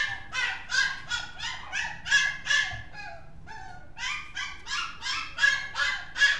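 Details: Mixed-breed dog yapping in a fast, fairly steady series of sharp, high-pitched barks, about two to three per second, with a short break midway before the barking resumes; no other notable sounds.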